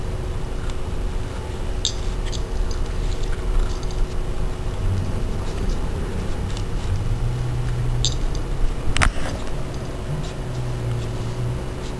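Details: Steady low vehicle rumble outdoors, with keys jangling near two and eight seconds and a sharp knock near nine seconds.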